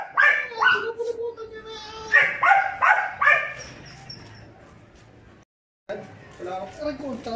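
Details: Belgian Malinois puppies at five months, Juvs (brown) and Jeff (black), let out a fast string of shrill yapping barks over a steady whine, then fall briefly silent before thinner, wavering whimpers resume.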